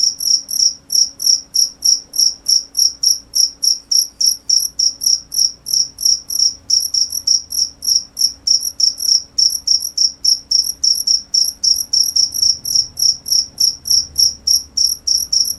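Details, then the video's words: A cricket chirps steadily and rapidly, short shrill pulses repeated about three times a second for the whole recording, with a faint higher overtone and a quiet low hum underneath. "cricket sound"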